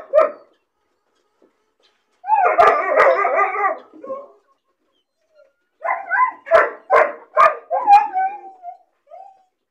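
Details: Lonely, bored puppy caged alone, crying when it sees other dogs playing outside: a short whine, then a dense burst of harsh cries, then a run of five or six sharp barks spaced under a second apart, ending in a soft whimper.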